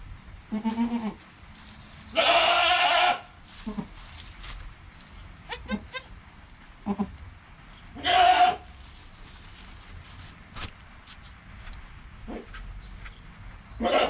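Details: Goat kid Joel, just born, with mother Penny: one full bleat early on, then scattered short nasal calls, clicks and a briefer bleat near the middle, over quiet rustling and occasional high chirps.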